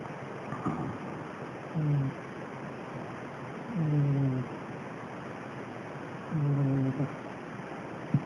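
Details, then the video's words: Domestic cat, one of a household's cats, asleep and snoring: low, rumbling snores with a buzzy edge, each lasting under a second and coming roughly every two and a half seconds over a steady background hiss. "Snoring Cat!"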